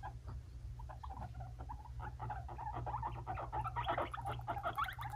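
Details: Two five-month-old male pet guinea pigs, the brothers Fluffy and Cocoa, fighting: a rapid, uneven run of short squeaky pulses that grows denser and louder toward the end, over a steady low hum.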